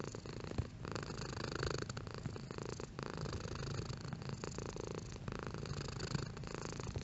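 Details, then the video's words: Domestic cat purring at moderate strength, a low rhythmic rumble with faint breathy rasps as the cat alternates between breathing in and out, steady across the whole stretch. "Cat Purring"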